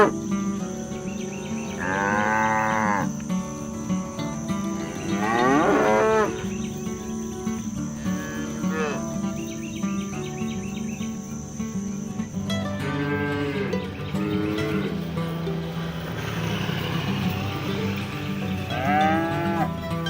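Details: Herded village cattle roaming the fields, calling their herd mates to come home to the barn: five or six drawn-out moos, some rising then falling, over steady background music and a constant insect-like hum.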